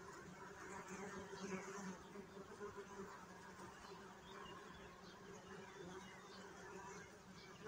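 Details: Continuous humming drone of bees, a low, even buzz with stacked harmonic tones and gentle fluctuations in loudness throughout.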